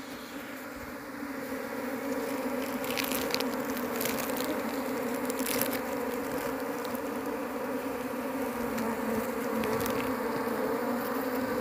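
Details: Large Asian honey bee colony humming while people search the nest for the queen, which proves hard to find: a continuous, even buzzing drone with faint clicks and rustles over it and a slight rise in loudness.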